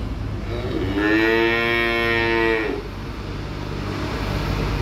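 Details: Young calves being unloaded from a truck, one giving a single drawn-out, rich moo lasting nearly two seconds, over a constant low engine rumble and traffic noise.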